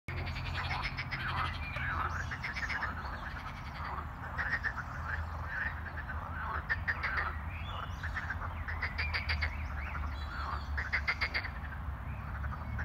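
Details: A chorus of frogs croaks in spring on Easter day in a natural park area near Geneva airport, rapid rattling pulses repeating over a low background rumble.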